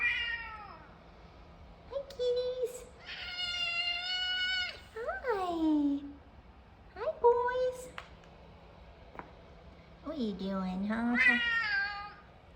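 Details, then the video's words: Two F2 Savannah cats meowing while being given attention, one with notably deep meows; long harmonic calls, some held steady and others sliding steeply downward into low tones, about five across the stretch, with a person speaking softly between them. "F2 Savannah Cats Kumba And Taj Meowing. Taj Has Some Of The Deepest Meows Going On"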